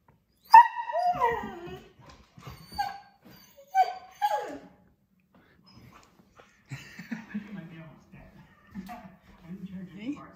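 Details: Male husky indoors reacting to seeing himself on TV: a series of drawn-out, falling, whiny yodel-like calls in the first half, followed by a man speaking to him in a low voice.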